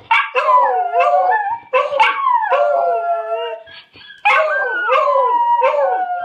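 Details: A miniature schnauzer and a beagle howl together in wavering, overlapping mid-pitched wails, set off by watching a video of themselves howling.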